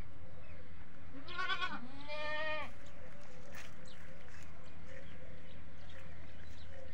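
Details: A desi goat at a goat farm gives a pair of wavering, harmonic bleats back to back around the second mark, then quieter distant bleats and steady low hum fill the rest.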